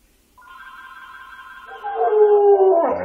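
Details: Yellow Labrador howling at a home answering machine. A steady, thin tone is heard first. Then the dog's loud, full howl comes in, holding at a lower pitch before it stops suddenly.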